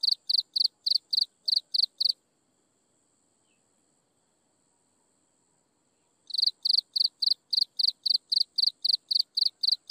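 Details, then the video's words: Insects chirping at sunset, a regular high pulsed chirp about four times a second that breaks off for four seconds, leaving only a faint high whine, then resumes. "Listen to insects chirping in the sunset"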